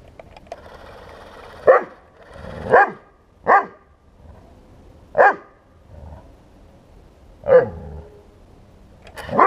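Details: Bernese Mountain Dog barking at a 1:16 scale remote-control tank; six loud, sharp single barks at irregular intervals of one to two seconds over a low steady background hum.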